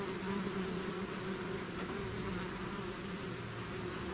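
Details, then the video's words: Swarm of bees outside the hive producing a continuous, even drone, a low hum layered over a hissing wash of many wings, with no pauses or other sounds. "bees therapy swarm natural buzzing sound"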